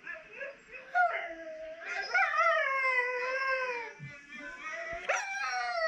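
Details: Catahoula Leopard Dog named Addie howling indoors while hearing herself played back on a laptop; wavering harmonic howls rising and falling, overlapping with a second layered howl from the playback, short yips between.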